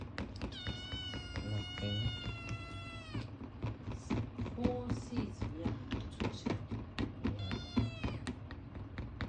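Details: A male Ragamuffin kitten, described as talkative and very demanding of people, gives a long, strained, high meow to beg for food, then a shorter one.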